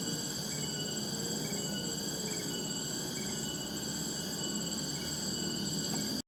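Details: A tonggeret, or cicada, chorus in the wild gives a continuous shrill hum of stacked, even tones that never pauses. A few faint bird chirps are scattered through it, over a dense low hiss of background noise.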